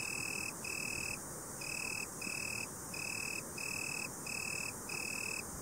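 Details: Italian tree cricket (Oecanthus pellucens) singing a steady, clear, high-pitched musical trill broken into about eight half-second bursts with brief gaps between them, evenly repeated throughout over a faint background hiss.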